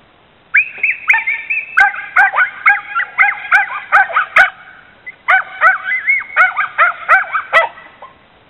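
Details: Border Terrier mix barking at a bicycle in the driveway; a dog that dislikes bicycles gives a long run of high, yelping barks with rising-falling whine-like tones, in two bursts separated by a short pause.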